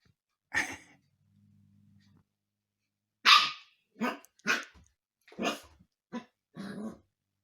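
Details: Husky puppy at home, playfully pestering the household cats while getting to know them: a series of short, sharp, high barks and yelps in a small indoor room, with quiet low hum between them.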